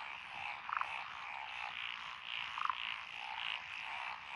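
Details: Frogs give short, rattling croaks about two seconds apart over a steady, high background chorus beside lotus paddy fields in Echizen, Fukui, Japan, 12 June 2021; species include Japanese tree, pond, wrinkled, Schlegel's green and forest green tree frogs.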